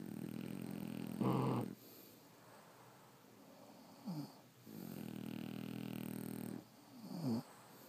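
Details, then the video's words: French Bulldogs snoring while asleep: a loud rattly snort, then long soft hissing breaths broken by brief dipping whistly wheezes. "Snoring French Bulldogs"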